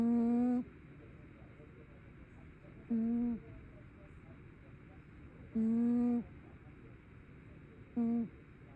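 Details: Tabby cat asleep and snoring, giving short steady hummed tones that recur about every two and a half to three seconds, four snores in total against a quiet room background.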